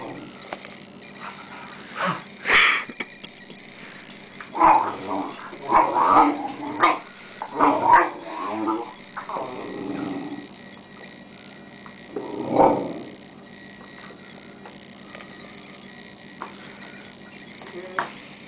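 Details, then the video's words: Rhodesian Ridgeback puppy in Boxing Day play with a sister dog; a string of short grumbling growls and whimpery snarls, several close together then one louder growl, steady household hum beneath. "Boxing Day Ridgeback Puppy"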